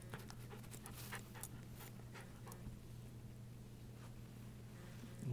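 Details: A female Miniature Schnauzer holds a continuous low, droning growl, warning a person away from her deer antler chew, which she hides under the ottoman; a person's teasing voice repeatedly threatens to take the antler.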